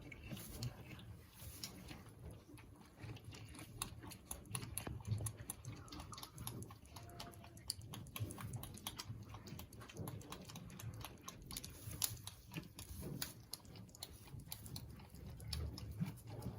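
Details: A Boer goat kid nursing from its mother at suppertime on a Missouri meat-goat farm suckles noisily, a rapid run of wet smacks and clicks as it drinks.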